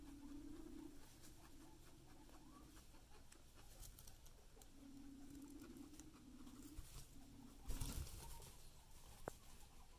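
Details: Guinea pig munching hay before running off; low pulsed humming comes in short bursts of one to two seconds, separated by gaps, under rustling and chewing patter, with a brief louder scuffle near the end.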